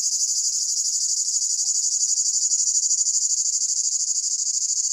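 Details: Cicadas singing in summer in Pelion, Greece: a loud, high, continuous shrill buzz with a fast, even pulsing throughout, no other clear sounds.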